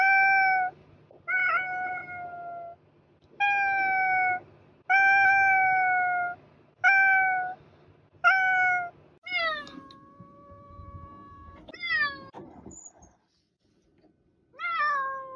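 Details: Pet cat meowing repeatedly, about eleven calls in fifteen seconds: at first short, level, even meows at a regular pace, then later calls that rise sharply and bend down, more drawn out and insistent, with quiet gaps between.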